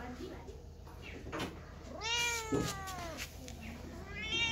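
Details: Kitten meows in a noisy room: a strong arched meow in the middle, fainter mews before and after, with knocks and a steady high hiss throughout.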